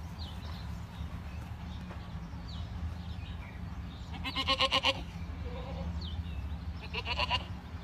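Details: Boer goat kept on a farm, giving two loud, harmonic, wavering bleats about three seconds apart over a steady low rumble, with faint short chirps in the background.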